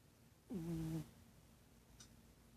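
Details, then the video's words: A domestic cat snoring: one short, tonal, droning breath about half a second long with a steady low pitch and faint overtones, then quiet room background. "Snoring cat"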